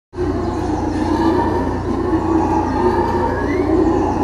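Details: Black-and-gold howler monkeys (Alouatta caraya) give a steady, droning roar, a dense low rumbling chorus that starts abruptly and holds without pause for about four seconds, with a faint rising tone near the end.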